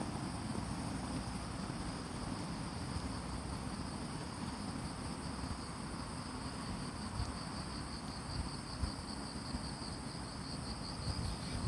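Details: Morning insect chorus in Fujimori Park, Hachioji, Japan, 6 September 2020, under light rain: steady high whining tones, and in the second half one caller adds a fast pulsing trill, all above a loud low background hum.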